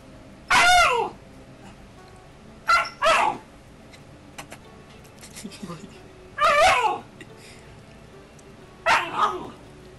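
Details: A young Alaskan Malamute of about nine or ten weeks, play fighting in Calgary, Canada, 2012, lets out bursts of shrill, descending barking growls, some doubled, separated by pauses, with faint background sounds between.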